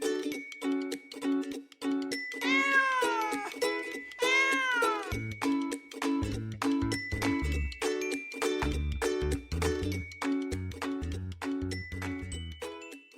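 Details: A cat gives two drawn-out meows about two seconds apart, each rising then sliding down, over cheerful plucked music; a low bass line joins the music after the calls end.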